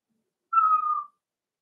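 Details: Cavalier King Charles Spaniel puppies playing in an indoor home puppy pen, raised and cared for by breeders: one clean, steady whine lasting about half a second that sags slightly in pitch, with no other sounds around it.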